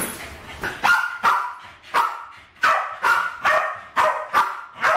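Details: Alfie and Crystal, two West Highland White Terriers aged about 7 and 8, barking while playing with balloons in a kitchen, 2012; loud, crisp barks spaced irregularly, about nine over five seconds.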